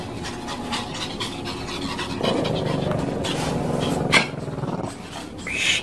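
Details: Shih Tzu, one of several dogs in a home, described as jealous, panting in quick rhythmic breaths, with a person speaking Filipino over the middle stretch and a brief sharp sound near the end.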